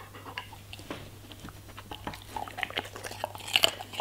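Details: German Shepherd eating vegetables and fruits indoors: soft, scattered crisp bites and wet chewing clicks, growing louder toward the end, over a steady low electrical hum.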